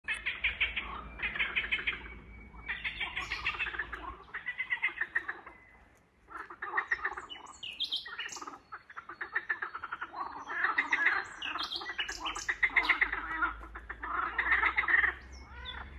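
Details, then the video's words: In a swamp, a chorus of frogs or toads gives dense, pulsing croaks in overlapping bursts of about a second each. "Frogs or toads croak in the swamp."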